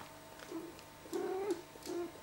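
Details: Tiggy, a pet cat known for her talking noise, recorded after eating: three short, low tonal murmurs, the middle one longest and slightly wavering, the last brief, in a quiet indoor room.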